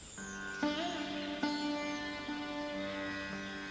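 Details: Plucked sitar music with sustained drone notes and sliding tones; no animal voices heard.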